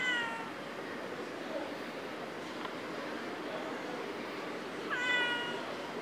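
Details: Istanbul street cat giving two clear, tonal meows, one at the very start and another about five seconds later, each slightly falling in pitch, over a steady low background hum.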